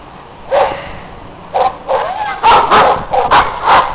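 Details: Neighbours' dogs barking loudly outdoors in snow while other dogs play; several sharp barks at irregular intervals, some in quick pairs, over a low steady background hiss.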